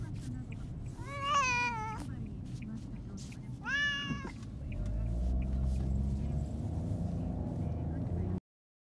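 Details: Pet cat protesting on the way to the vet for castration, one of two domestic cats, black and white; two strained, drawn-out meows about three seconds apart, followed by steady low vehicle rumble.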